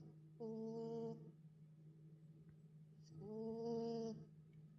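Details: Pet dog worn out from the dog park and asleep, giving two drawn-out tonal snores nearly three seconds apart, each with a soft breathy edge, while a constant low hum runs underneath.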